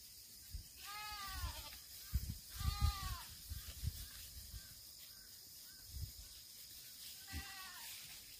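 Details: Black goats at a farm in Gimhae, South Korea, September 2024: three drawn-out nasal bleats, two close together early and a shorter one near the end, each rising then falling, with heavy low thuds and knocks between.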